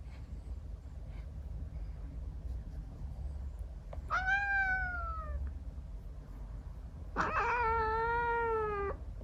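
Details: Female Scottish Fold × Persian mix kitten, born November 2022, meowing at bedtime while patted on the bottom; two drawn-out, slightly falling, harmonic meows about three seconds apart over a low indoor hum.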